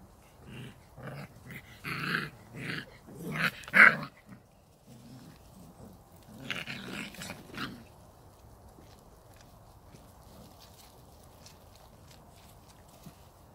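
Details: Samoyed puppies, 39 days old, from the A litter at Arctic White Cherry, make rough growling, barking bursts in quick succession for about eight seconds, louder around the middle, then fall quiet over a low steady background hum.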